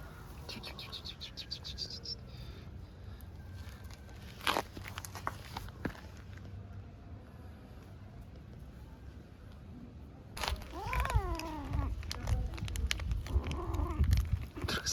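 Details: Young cat play fighting with a tiny kitten: after a stretch of clicks, rustling and low background hum, a burst of arched, rising-then-falling meows with rich harmonics sounds near the end, repeated several times over about two seconds.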